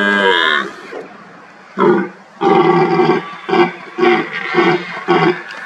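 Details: Red deer stags roar during the rutting season to intimidate rivals and impress hinds: one drawn-out groan, then a run of deep, throaty grunts.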